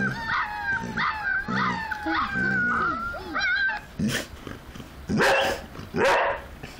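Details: Puppies howling: several overlapping wavering, whining howls that rise and fall for about four seconds, followed by louder harsh yelps and barks in short bursts.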